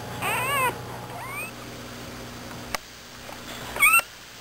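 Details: Newborn American Bulldog pups, part of a litter of nine born in the middle of the night, give high squeaky whines in two short bursts. The first burst wavers and the second rises sharply, with quiet pauses and a faint click between.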